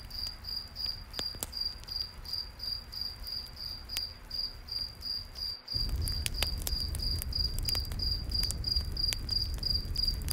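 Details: Crickets chirping in a night forest beside a campfire: steady high, thin pulses about three per second, with sharp crackling pops from the fire and a deeper roar that swells after the midpoint.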